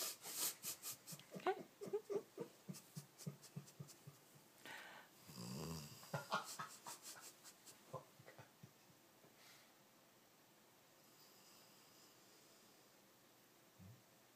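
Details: Pet dog named Marry asleep and snoring: a rapid run of short wheezy, breathy snorts in the first half, then quieter scattered breaths fading to near silence with one last faint snort at the end.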